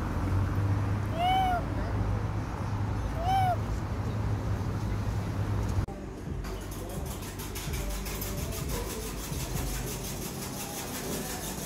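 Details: A street cat, November 2023, gives two clear arched meows about two seconds apart, rising then falling, against low background hum; afterwards only steady noise and faint music remain.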